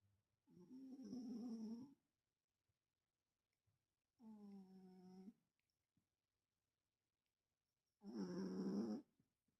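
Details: Cat snoring while asleep and dreaming indoors: three long, rough, droning breaths about two seconds each, separated by quiet pauses, with a faint high whistle in the first and last breaths.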